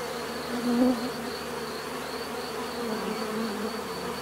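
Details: Bees buzzing in a steady natural drone, one insect passing close and loud just before the first second, then the even hum continues.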